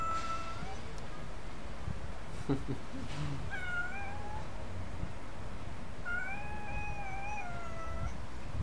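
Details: A pet Turkish cat called Freckled Şaziye gives soft, thin meows: a brief pair near the start, a short one mid-clip, then a longer wavering meow late on, over a steady low hum with a voice calling it closer.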